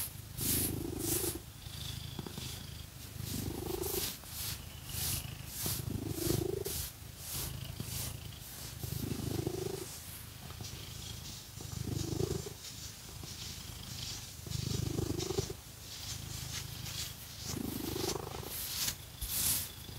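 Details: Cat purring throughout a scratching session with fake nails, its low vibrating rumble swelling with each breath roughly every two to three seconds, alongside bright, brisk scratching strokes.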